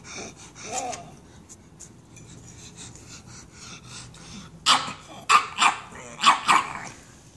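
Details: Sydney, a pet pug, barking to get nachos; after a few seconds of quiet snuffling, four or five short, sharp barks burst out in quick succession near the end.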